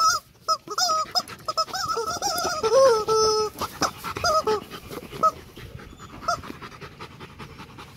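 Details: Male Rottweiler Loki, nearly two and a half years old, at Gervi Kennel, whimpering while being played with and having his face cleaned. High, wavering whines come in bursts that rise and fall, with short sniffs and clicks between them.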